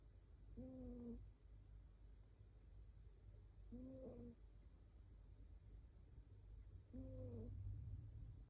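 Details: Shiba Inu sound asleep and snoring; three faint, level whistling snores, each under a second long, spaced roughly three seconds apart against low background hum.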